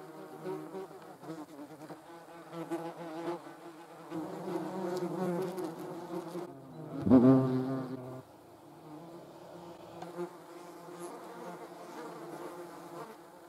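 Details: A hornet attacking wasps gives a soft, continuous harmonic hum that grows louder for a few seconds, peaks in a short intense burst with a thump, then settles back to a quieter drone.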